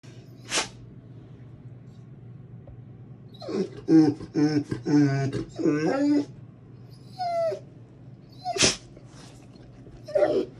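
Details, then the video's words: A male Rottweiler seeing his sister on a computer screen, which he seems not to like, makes drawn-out moaning, wavering vocalizations in a burst of several seconds, with sniffs and short squeaks around them. "Zeus talking to Nova on the computer screen"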